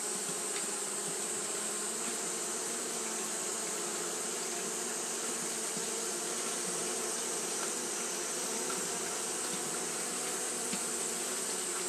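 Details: Japanese honey bees kept fanning all through a hot day; the sound is a thick, constant droning buzz with a bright hissing band above and a few light ticks.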